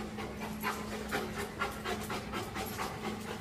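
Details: Thirteen-month-old Rottweiler at a dog trainer's in Augusta, Georgia, panting in quick, fairly even breaths, about two per second, over a steady low hum.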